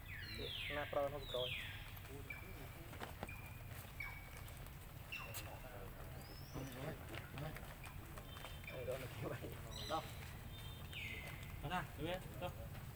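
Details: Young monkey Lucie, refused milk by her mother, wails angrily in bursts of high falling whistles, clustered early then again near the end, with murmured voices and a low background rumble throughout.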